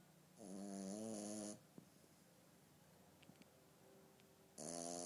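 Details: Female Frenchie puppy asleep indoors, snoring: a loud, harsh, vibrating snore lasting just over a second, a quiet gap with faint small clicks, then the start of the next snore.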